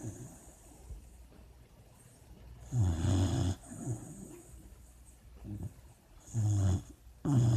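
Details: Puppy asleep and dreaming, making deep, rough snores roughly every two to three seconds, with small snuffles between them.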